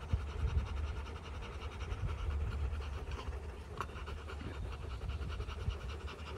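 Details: Following a fight on day 59, a Rottweiler family pants softly in steady breathy pulses, partly masked by deep rumbling noise and a few scratching sounds.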